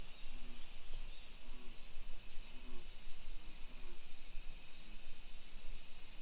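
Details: Continuous shrill buzzing of summer cicadas in a modern hillside neighbourhood near Nagoya, Japan, 1 PM, 28 July 2021; the high drone never pauses, with faint low murmurs and rumble underneath.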